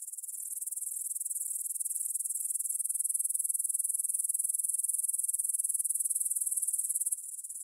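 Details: Evening stridulation of grasshoppers at 9pm, 6 September 2020, in a field by the Svensky monastery in Bryansk, Russia, on a Tascam DR-44WL: a shrill, rapidly pulsing buzz that swells louder midway, then drops abruptly near the end.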